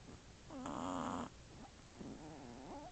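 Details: Shih Tzu puppy Cheyenne, aged one month three weeks, asleep with her sisters; one loud, buzzy, harmonic snore lasting most of a second, followed by softer wavering breathing that dips and rises.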